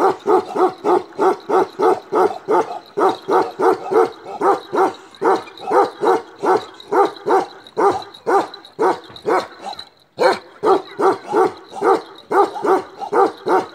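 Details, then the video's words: Black male Kashmiri Eksaya, a Himalayan livestock guardian dog breed known for ceaseless barking, gives a long unbroken run of deep, evenly paced barks, about three per second, with a brief pause near the end before barking resumes. "KASHMIRI EKSAYA (CEASELESS BARKING) BREED"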